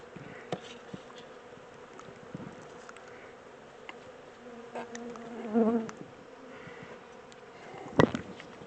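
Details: Second captured honey bee swarm relocated to a larger hive; a constant, deep buzzing mass of bees, one brief louder whining rise in the middle and a sharp knock near the end.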